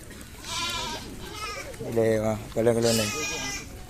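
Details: Goats at a sale yard in Blangjrun, Aceh Utara, Indonesia: a faint wavering bleat early on, then two louder, nasal, strongly harmonic bleats in quick succession, with some talking underneath.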